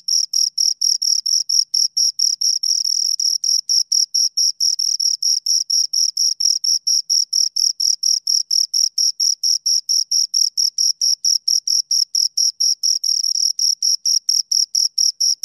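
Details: Two crickets chirping steadily, a high, thin pulsed trill repeated about twice per second with short gaps, a bright upper overtone above the main tone; no other sounds.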